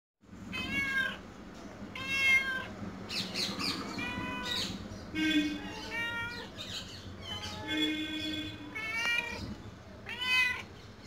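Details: Domestic cat meowing as if trying to say something to its owner: a run of harmonic, wavering meows, some rising then falling, roughly one every second or two, with gaps of quieter background between them.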